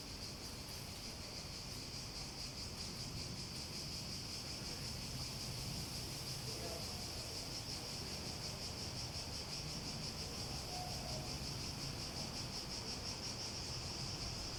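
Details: Cicadas in a steady, pulsing high buzz that holds one pitch throughout, set against a soft broadband hiss and faint low rumble.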